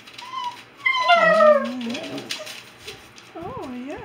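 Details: Three agouti Alaskan Noble Companion Dog pups (two females, one male) howl on command in long, sliding tones that dip and rise.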